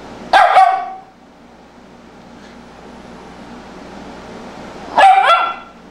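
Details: Tibetan Spaniel dog on a sofa giving two sharp, harmonic barks: a quick double bark near the start, then a single bark about four and a half seconds later, with a quiet room in between.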